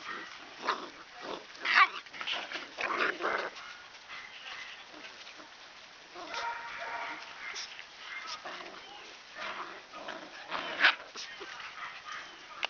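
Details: A dozen black-and-white parti-color Standard Poodle puppies, five boys and seven girls, romp outdoors in spring air while their mother looks on, just before rain. Short sharp barks and yips come in scattered bursts, some loud and close, with quieter play noises between.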